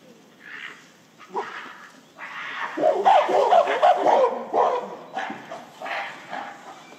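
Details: Gorillas at breakfast in December, a silverback displaying while a female and her son chase him screaming; loud harsh broadband screams and shrieks in bursts, building to a sustained noisy peak mid-clip, then trailing off into scattered cries.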